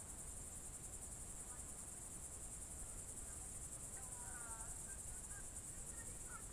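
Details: Crickets trilling on a June 2023 evening, Novye Buregi, Novgorod region, Russia: an unbroken high buzzy pulsed chorus, with a faint bird warble in the second half and low background rumble.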